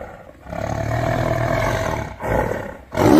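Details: Tiger roaring, called a spine-chilling sound: a long, rough, low-pitched roar held for over a second, followed by two shorter loud bursts.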